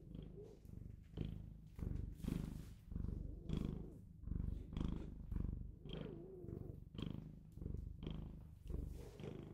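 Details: Purring Bengal cat kept as a pet, steady low rumble rising and falling with each breath roughly once per second, slightly irregular, with small rustling and clicking noises between swells.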